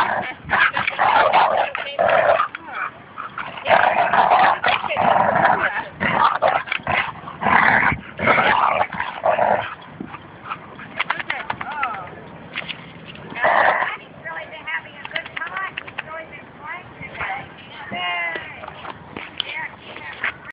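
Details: Bouvier des Flandres and Labrador Retriever in a tug-of-war at Fernandina Beach dog park; dense, rumbling growls for the first half, then fading, with people talking over the later part.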